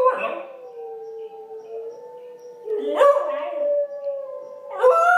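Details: A female Pembroke Welsh Corgi puppy howls along to wolf howls playing on YouTube, with long wavering tones and rising, yelping starts.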